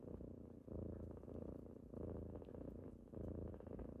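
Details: Kittens purring on a typical morning as they wake their owner; a steady low rumble swells and fades in breath-paced cycles about every 1.2 seconds, with faint indoor quiet around it.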